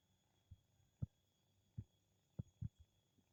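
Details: A two-month-old kitten, drowsy and then sound asleep, snores in soft, low, snuffling bursts, about five uneven puffs in just over three seconds, over a faint steady background hum.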